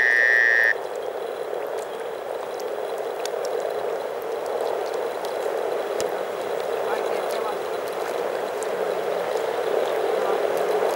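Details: Massed frogs, more than 300 of them, calling through spring in Teisko, Pirkanmaa, Finland: an unbroken, rapid bubbling hum of overlapping croaks. A short, level high tone opens the recording.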